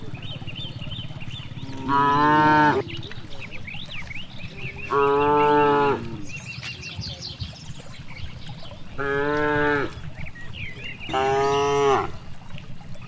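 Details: Grazing cows in a vast rice field give four loud, even moos roughly a second each, spaced two to four seconds apart, over a steady low background hum and scattered high bird chirps.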